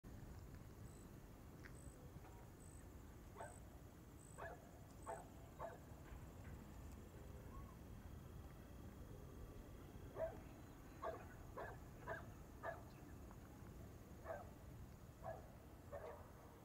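A meerkat gives short, sharp barking calls in quick bursts over a low rumbling background.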